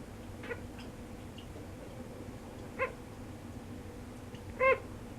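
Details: A pet sugar glider crying while in deep sleep, perhaps from loneliness or a bad dream: two short, squeaky, tonal cries with bright overtones near the third and fifth seconds. Fainter squeaks come earlier, in a quiet indoor room.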